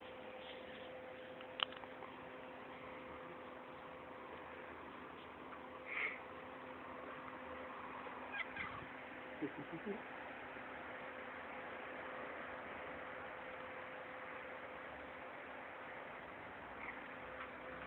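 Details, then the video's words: A pet cat at play gives a few short, soft meows spaced through the recording, one near the middle and a small cluster later, over a steady electrical hum and faint room noise. "my cat play with me!"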